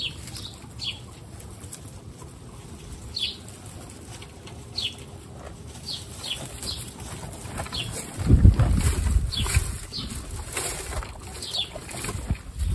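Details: At the first meeting of baby guinea pigs, high curving squeaks sound every second or so, then a loud low thumping scuffle takes over midway while squeaks continue faintly over rustling.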